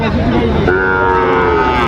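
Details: Sahiwal bull calves traded at the opening of Raniganj cattle market in Dinajpur on 22 January. A drawn-out, steady, low moo rises over constant crowd chatter and price haggling.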